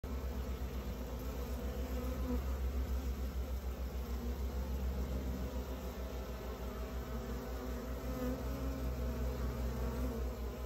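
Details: Honey bees at a beehive during beekeeping: a steady, low droning hum with layered tones that holds constant throughout, with no other clear sounds.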